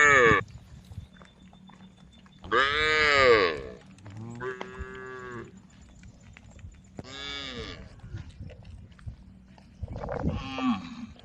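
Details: Tame female cows calling the herd: five or so moos at irregular intervals, some bright and wavering, others lower and softer, over a steady low hum between calls.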